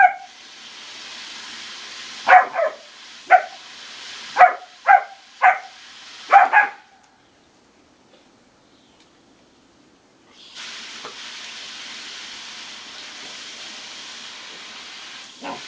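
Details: German Shepherd puppy around a pool giving a burst of about six short, sharp barks over four seconds, then quiet, followed by a steady background hiss.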